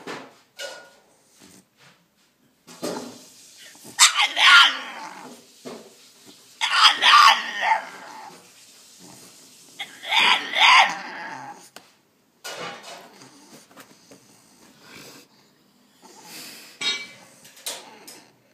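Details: Caged French Bulldog pleading to be let out, its cries sounding almost like speech: three long, groaning, voice-like bursts of several seconds each, with short whines, snorts and yips scattered between them, indoors.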